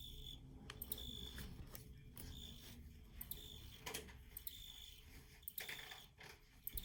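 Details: Field cricket chirping in short, high-pitched bursts that come and go irregularly over a steady low rumble, with a few sharp clicks in between.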